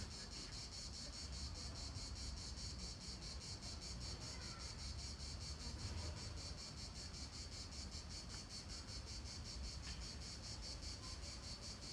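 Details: End-of-July cicada chorus from a park in Nancy, France, 2017, at the Palais du Gouverneur: an unbroken high-pitched rasping drone with quick regular pulsing, set against a deep background hum and faint murmur.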